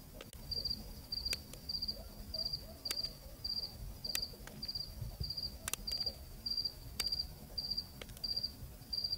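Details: Night cricket in Zambia, recorded locally on a cool evening, chirping steadily in short high trilled bursts about every half second, joined by sharp intermittent clicks over a soft low rumble.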